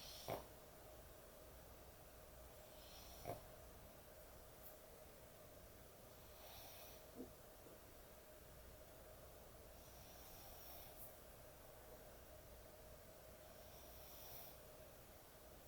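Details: Sleeping dog, described as an excessive snorer, at bedtime: soft, breathy hissing snores recurring about every four seconds over a steady low hum, with a few short sharp clicks or snorts.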